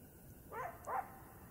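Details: A coyote in the Blue Ridge Mountains sings, letting out two short, high-pitched, wavering, slightly whining yips about a third of a second apart against a quiet, faintly hissing background.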